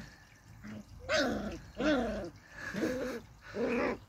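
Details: Beagle puppy having fun in a garden: four short, tonal whining yelps, each rising then falling, spaced under a second apart, with a quiet background.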